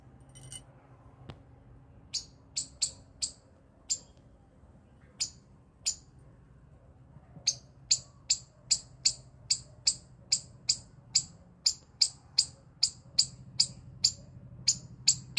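A squirrel gives sharp, high chips, sparse at first, then quickening into a steady run.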